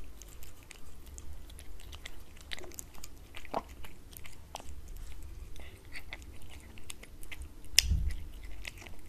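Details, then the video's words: Wet cat food being eaten by a cat on a glass tabletop: steady soft lapping and chewing clicks, scattered sharper bites, a louder knock near the end, low room hum beneath. "Cat Eating Wet Food ASMR"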